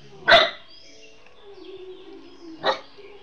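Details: Household dog that fails to recognise the owner's wife gives two loud, separate barks about two seconds apart, with a faint human voice and a steady low tone between them.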